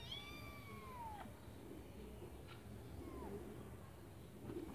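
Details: Kittens in a white bucket giving thin, high meows that slide downward, one long and one short, over a steady low background hum.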